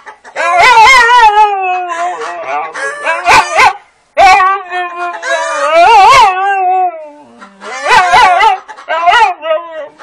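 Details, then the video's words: Siberian husky vocalizing back and forth with chickens: long, wavering, moaning howl-talk phrases that rise and fall in pitch, three main bouts separated by short pauses, with sharp clicking sounds in between. "A fascinating conversation between a husky and chickens"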